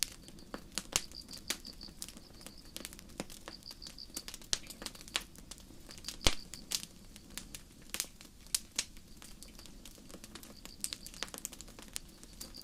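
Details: Crickets chirp in steady high pulses on a starry night in a forest while a campfire crackles and pops loudly over them.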